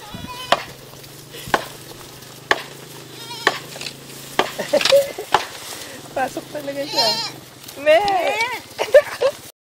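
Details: At Garin Farm, Iloilo, at feeding time around 5:30 pm on 26 February 2014, goats bleat in wavering, quavering cries near the end, after a run of sharp knocks over a low hum.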